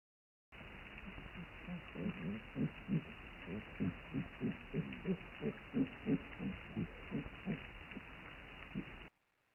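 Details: Cape fur seal vocalisations recorded underwater on 11 May 2018 at Kommetjie, South Africa, with a moored hydrophone: a steady train of low, throbbing pulses, about three per second, with harmonic bands over a constant hiss of sea noise.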